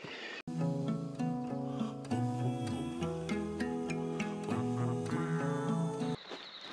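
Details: Plucked-string music with a steady low bass fills the whole passage, with no animal voice anywhere.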